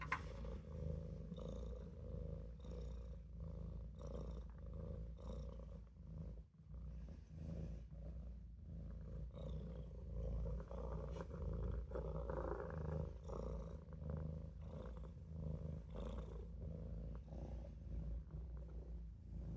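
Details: Napping in a sink, the Maine Coon kitten Olof keeps up a long, deep purr, its soft rhythmic throb rising and falling with breathing, with faint higher tones drifting above.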